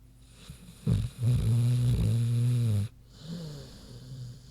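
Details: Big sleeping pig Queenie snoring: a short snort, then a sustained low, buzzing snore of about two seconds, followed by a faint wheezy exhale.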